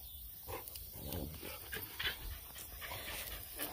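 Bloodhound puppies panting and snuffling in soft, breathy bursts, with faint whimpers.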